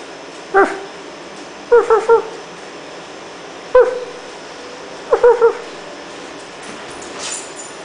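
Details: Siberian Husky puppy, nine months old, playing on an air mattress, giving short high whimpering yips in four bursts, some doubled or tripled, spaced about one to one and a half seconds apart, with a woman speaking between them.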